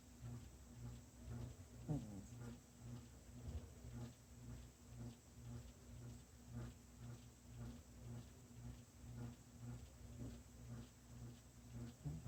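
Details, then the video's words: Kitty snoring indoors in a small quiet room: soft, low rumbling breaths repeat in a steady pulse about twice a second, with faint clicks in the background. "Kitty snoring"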